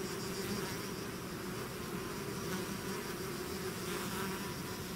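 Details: Swarm of bees leaving their hive: a dense, unbroken drone of countless wingbeats, evenly loud throughout, low humming tones layered under a hiss-like wash.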